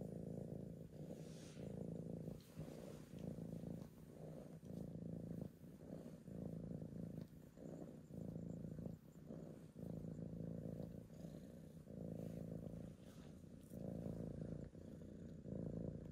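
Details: Steady deep purring from Archie, a tabby cat wanting to be petted, pulsing with each breath roughly every second and a half over a long stretch.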